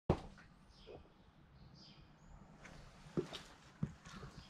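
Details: A Welsh Corgi puppy hiccups, giving short, abrupt thumping clicks spaced unevenly in a quiet room; the owner was surprised, and the hiccups stopped soon after it rested.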